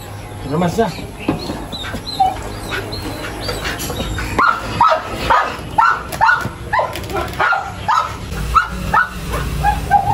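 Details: Belgian Malinois puppies during bathing and their second deworming. They give high, rapid yelping barks and whimpers, several each second, rising and falling in pitch, with a person talking over them.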